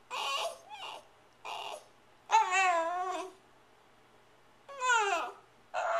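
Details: Female Shiba Inu indoors, filmed April 23, 2010, talking to demand her dinner while nosing toward the fridge: a run of whiny, harmonic yowls and short bursts, several sliding downward in pitch, broken by brief silences.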